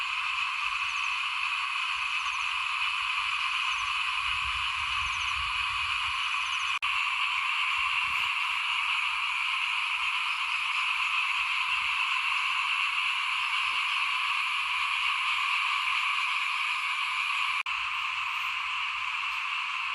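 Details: Frog chorus before a house while rice is being sown for planting, 2021. Many callers merge into a constant, even trill lasting the whole stretch. A soft low rumble passes near the middle, and faint clicks come now and then.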